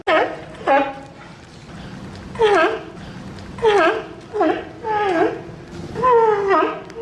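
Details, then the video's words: Sea lion calling repeatedly, about eight wavering tonal cries, each dipping then rising, roughly one every second, clear and loud against a quiet background. "Tunog ng SEA LION | Sound of SEA LION"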